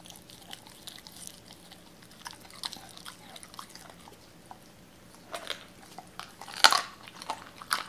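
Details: Doberman Cola gnawing raw chicken inside a small room; quiet, scattered wet chewing ticks build into a louder crunching burst around six and a half seconds, followed by a few more bites.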